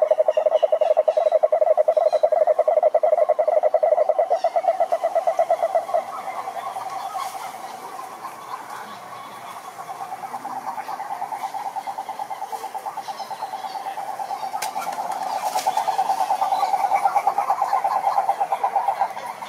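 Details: Cururu toads, Rhinella marina, calling in a lake in Brazil's Atlantic forest: one loud, close, steady pulsed trill for about five seconds, then softer overlapping trills from several toads that build again toward the end.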